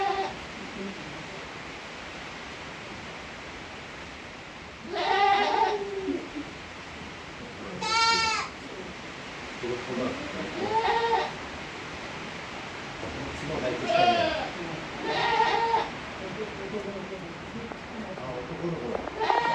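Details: Farm-kept Tokara goats in Himi, Japan, on 29 April 2022, 18-day-old kids alongside their mother: a series of quavering bleats, some short and some drawn out, recurring every few seconds over a low steady hiss.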